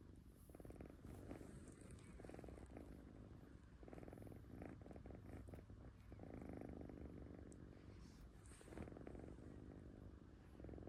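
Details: Latte, a kitten, purring while asleep: a low, steady rumbling purr in pulsing bursts, rising and falling with each breath throughout, in a quiet indoor setting.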